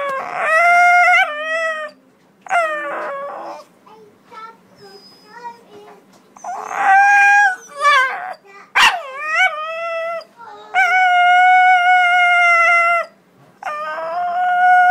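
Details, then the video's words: Dog "talking" in a run of tonal howls and yowls, some wavering and bending up and down, others held steady for about two seconds, separated by brief pauses and soft breathy noises. "Talking dog"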